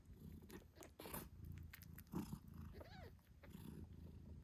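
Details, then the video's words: Eight-day-old British Shorthair kittens with their purring mother Moon Stone; a thin arched kitten mew near the end sits over a steady low purr, plus clicks and suckling sounds. "Cute Kittens Meowing Yawning Sleeping Cat Mom Purrs Loudly 🥰 8 Days After Birth British Shorthair"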